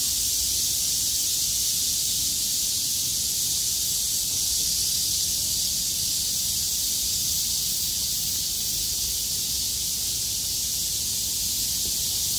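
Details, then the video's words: Cicadas survived heavy rain and call as loudly as they can after it stops and the weather clears, 6 August 2020. A continuous shrill, hissing drone holds at an even level throughout, with no breaks. "매미들의 합창"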